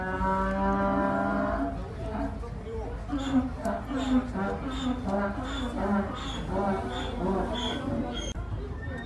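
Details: A donkey with misshapen hooves holding six blood blisters calls while its hooves are trimmed. A long, low, harmonic tone is followed by a fast run of rough, pulsing notes over steady background noise.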